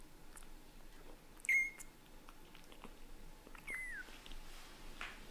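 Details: Indoor household cats as daddy cat Leo gradually gets used to kittens; two short, high-pitched mews a couple of seconds apart, the second dropping in pitch, with faint rustling between them.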